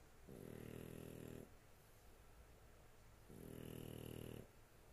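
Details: Two long, throaty snores from a sleeping dog, each about a second, deep and rattling with a faint whistling overtone, separated by a quiet exhale in a small room.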